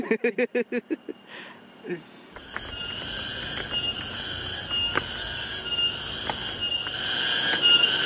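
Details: A cicada (locally called cenggeret) gives loud, shrill buzzing swelling in steady pulses after a person speaks briefly, on a shaded, cool forest trail descending to Grojogan Sewu waterfall, Tawangmangu.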